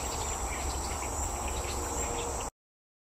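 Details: A steady, low droning hum of Western honey bees massed at their hive in a wooded parcel in Wethersfield, Connecticut, on 28 July 2024.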